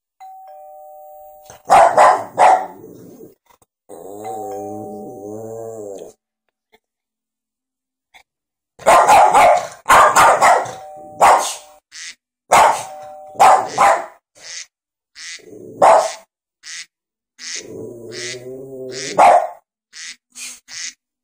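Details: Sundae, a pet dog indoors, barks in loud bursts while reacting to iPad ringtones; doorbell chimes sound, then a run of sharp, irregular barks follows, with some ding-dong tones among them.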